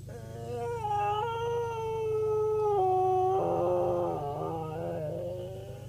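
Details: Female cocker spaniel kept as a pet, making a lot of noise in a drawn-out singing howl: long sustained tones that hold steady, drop in pitch, then waver and break into rougher, wobbling notes toward the end.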